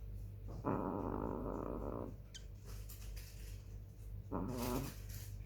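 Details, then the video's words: Black female chihuahua snoring while asleep on 18 July 2021 at 21:07: two rasping, rattly breaths, a long one of about a second and a half, then a shorter one several seconds later, over a steady low hum. "Snoring chihuahua"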